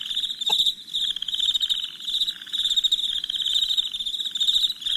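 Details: Crickets chirping at night in a shrill, rapidly pulsed trill, with a lower throbbing chorus swelling beneath. A sharp click stands out near the start.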